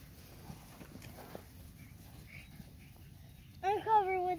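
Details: Black and red German Shepherd puppies at play. Low rustling and murmuring come first, then a sudden short, wavering, high whine with stacked harmonics ends the moment.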